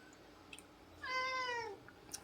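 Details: A pet cat indoors gives one clear meow lasting under a second, harmonic and slightly falling at the end, with faint room noise and a few soft clicks around it.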